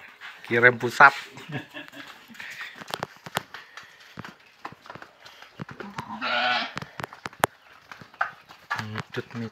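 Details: Fullblood Boer goats being delivered from Boerkahjaya Farm in Blitar to the Sahabat Sapi Farm pen. Short harmonic bleats open and close the clip, with sharp clicks and knocks and a man speaking Indonesian between them.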